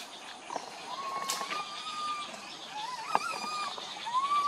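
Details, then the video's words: Loud cry from a tiny monkey wandering with its group: long, drawn-out whistled tones holding a steady pitch, broken by a rising, wavering cry near the middle and another at the end, over faint background rustle. "tiny monkey Boston walk wandering his group try crying loudly call"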